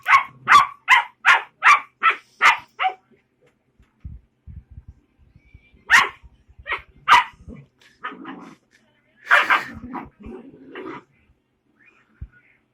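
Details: Young puppy opening with a fast run of about seven evenly spaced high yaps, then quiet shuffling, a few scattered barks and a longer rough whining yelp.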